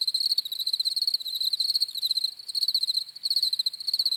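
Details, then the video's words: Crickets chirping for relaxation and sleep: a high, pulsed trill with harmonics, delivered in bursts of rapid pulses separated by brief gaps, overlapping calls, no other sounds. "CRICKETS CHIRPING SOUNDS"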